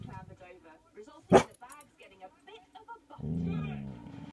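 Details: Dog named Laksa growling at a deer seen for the first time through a caravan window; a sharp bark-like burst, then a low sustained rumbling growl toward the end, with human speech heard throughout.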